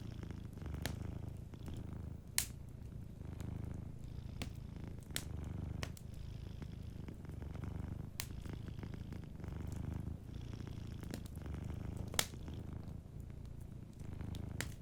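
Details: A cat asleep by a cozy fireplace purrs gently. The deep, buzzing rumble rises and falls in regular breathing cycles of about a second and a half, while isolated loud pops from the crackling fire break through.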